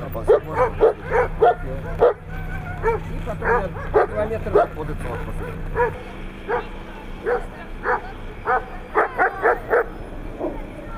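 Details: Siberian Husky on 3 February 2017 at competitions in Nizhny Novgorod, barking in quick, uneven bursts of short sharp yaps, roughly a hundred per minute, over a low steady hum and faint human voices.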